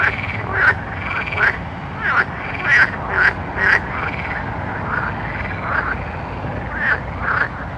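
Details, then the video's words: Frogs at night give short, clipped croaks in a loose series, some with sharp clicking onsets, a few louder notes in the middle and near the end. "Night Frog Sounds"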